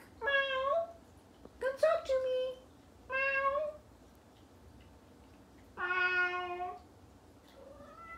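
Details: Ginger, a Bengal cat, talking to a human friend indoors: a series of harmonic meows, some short and chirpy, one long drawn-out meow near the end, with a faint voice between calls.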